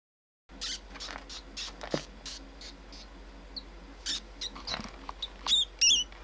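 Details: Pink baby rat, a live feeder offered to a pet pacman frog, giving thin, high-pitched squeaks in short bursts, several per second, ending in a few brief tonal chirps; quiet room with faint low hum beneath.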